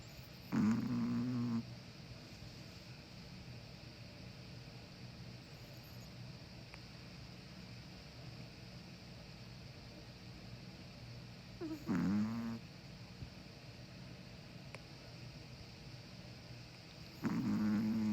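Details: A slumbering pet Chihuahua, one of a brother and sister (white male aged six, black female aged five), lets out three short, grunting snores at long irregular gaps, each a buzzy low rumble, amid quiet room tone.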